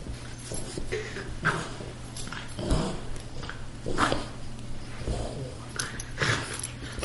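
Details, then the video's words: A greyhound and a Boston terrier, two pet dogs, play-fighting as they do almost every day: low, rough growls and grunts come in irregular bursts roughly every second or so, with scuffling and a steady low hum behind. "Greyhound playing with Boston Terrier"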